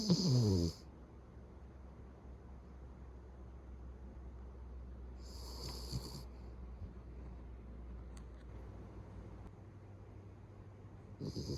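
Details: Sleeping pet Beagle at home, snoring loudly enough to rival a middle-aged man: a rough, throaty snore at the start, another about five seconds later, and a third rising at the end, with quiet breathing between.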